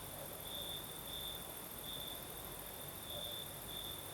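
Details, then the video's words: Crimean crickets at night, breeze blowing: a high ringing trill that brightens in short bursts every half second or so, set against a soft rushing hiss and a faint piercing hum above. "Сверчки поют"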